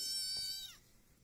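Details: A village kitten, a Peaknose and Javanese cross, gives one loud, clear meow lasting under a second. The bright, harmonic tone holds steady and then slides downward at the end, with quiet room noise afterward.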